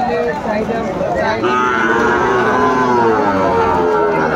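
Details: Sahiwal bull calves at a rainy, stormy cattle market in Madaripur, Bangladesh, 3 September 2024. A sustained lowing moo holds a steady pitch through most of the moment, with bargaining voices underneath.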